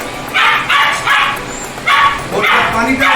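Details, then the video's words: A dog making noise while being bathed at home and having its ears cleaned: a run of about six sharp barks or yelps in three seconds, with a man speaking nearby. "আমি জানি না আপনারা শুনতে পাচ্ছেন কিনা, আমার কুকুরে চিল্লাচ্ছে।"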